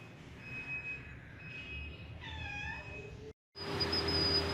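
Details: Pet cat giving one short, arched meow near the middle, with harmonics rising and falling. Faint, steady high tones run through it, a brief silence follows, then loud hissing noise.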